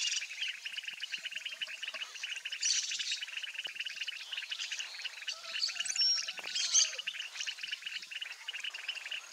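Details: Mueller's termite frogs coaxing together in a breeding-season pond where a pair lays eggs; the rattling pulsed trills run on without a break, joined now and then by brief thin whistles and a soft knock.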